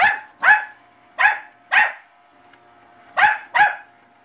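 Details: A Bichon Frise gives sharp, high barks, often in quick pairs, at a robot vacuum cleaner over its steady mechanical hum.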